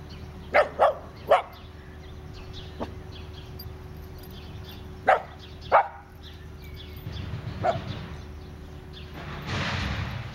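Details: Italian Greyhound Dasher racing and playing chase with two of his sisters in a garden: short sharp yips and barks in quick bursts, three near the start and two midway, then a steady mechanical roar of a neighbour's branch chipper.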